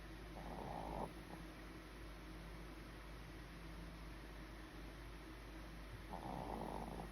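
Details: Pomeranian dog asleep and comfortable, snoring softly: two short raspy snores, one near the start and one near the end, over a steady low hiss in a quiet room.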